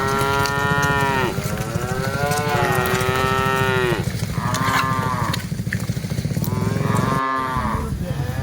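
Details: A herd of dozens of cattle on the move, one long, loud, deep moo lasting several seconds followed by shorter, higher moos from other animals, with a continuous low background rumble.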